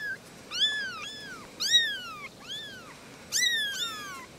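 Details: Three little kittens talking: a quick run of high, thin mews, each sliding up then falling away, coming in short bunches of two with brief quiet gaps between them.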